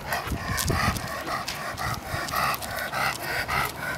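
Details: Roman, a 16-week-old Irish wolfhound puppy weighing 59 pounds, at play: quick, breathy rhythmic bursts with tonal overtones, close to two per second, continuing through the whole excerpt with a faint low background rumble.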